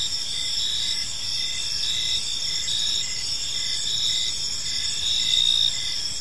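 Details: Crickets chirping on an evening in a park: steady high trilling bands with short regular pulses repeating about every half second, a continuous insect chorus over soft low background noise.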